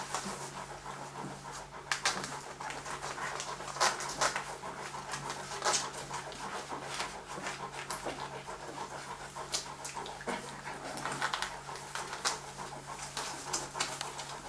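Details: Several Leonberger puppies, F litter of Gréti and Bayron, Löwe von Blumengarten kennel, Hungary, 2011; quick repeated huffing pants in a steady stream, mixed with faint squeaks and a low background hum in a small room.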